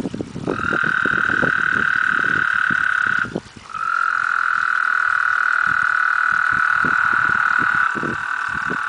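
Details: Several toads, eight in all, calling while mating in a backyard pond in summer; long loud sustained trills overlap, one breaking off near three seconds before another carries on, over scattered splashing knocks.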